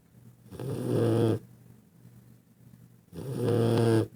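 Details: Dog asleep with heavy snoring; two long, gravelly, buzzing snores, each close to a second long, about two and a half seconds apart, with soft breathing in the quiet gap.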